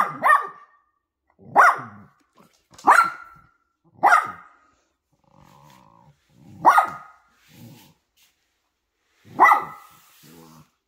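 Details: Poodle mother and puppies in family time, a run of sharp single barks at irregular intervals, some gaps filled with faint low growling and soft whines.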